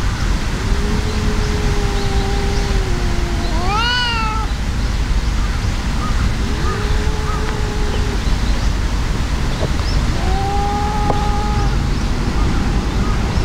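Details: Fighting cats, an enraged brown-and-white tabby overpowering a brown tabby: low sustained growling yowls in turn, broken by one sharp rising shriek, then further long moans, all over a steady low hum.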